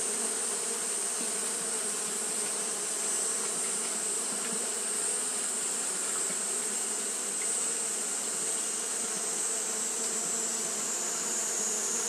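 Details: Fanning Japanese honey bees on a hot day give an unbroken, uniform buzzing hum of stacked low tones lasting the whole stretch, backed by a continuous high sizzling hiss.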